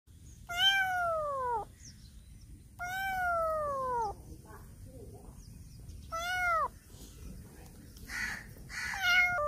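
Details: Black cat meowing loudly while circling around a person; three long, loud, falling harmonic meows spaced a couple of seconds apart, with softer scuffing and a short high sound near the end.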